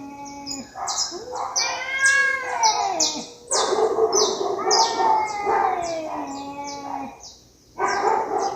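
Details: Cats fighting, long wavering yowls with rich overtones that rise, sag and overlap, broken by a short pause near the end before another wail starts; a steady series of high, clipped chirps runs behind them throughout.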